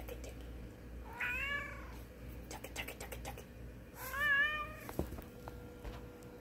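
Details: A cat meows twice, each a drawn-out rising-then-falling mew about three seconds apart, with clicking and tapping sounds between them and a low steady hum underneath.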